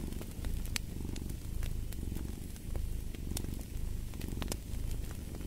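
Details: Deep purring of a cat rises and falls in strong, even waves roughly once a second, loud and close, with crackling fireplace pops sounding over it.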